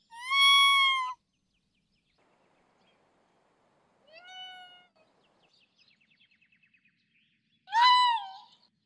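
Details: Raccoon dog (tanuki) calling in a forest, three loud, tonal, mewing cries about a second long with rich harmonics, the middle one quieter and rising, plus a faint rapid clicking series between them.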